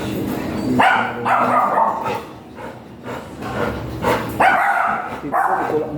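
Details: Giant Golden Retriever at a stud service in Binalonan, Pangasinan, giving about five loud, sharp barks in short bursts over six seconds, with a steady murmur of background noise between them.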